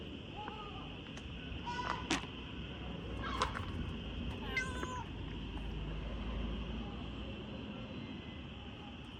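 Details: Stray street cats in a city, asking for their share of food at feeding time. Several short, faint meows are scattered through the first five seconds, set against a constant high-pitched whine and a low background hum.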